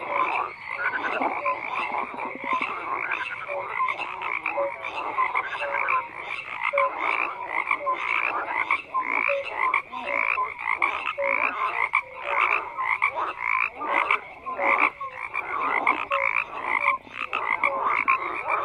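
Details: Frogs croaking in a dense overlapping chorus, many callers at once: rapid pulsed croaks and short tonal notes layered together, steady and unbroken throughout, with no other clear sounds.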